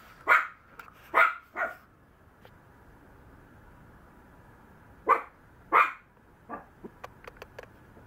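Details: Young Maltese yapping indoors: a quick run of three barks, a pause, then two more sharp yips followed by softer short sounds and light clicks.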